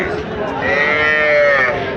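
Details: Cattle at the Raniganj haat livestock market, where bulls, heifers and calves are offered: one drawn-out, rich moo lasting about a second rises out of a steady crowd murmur, with faint voices underneath.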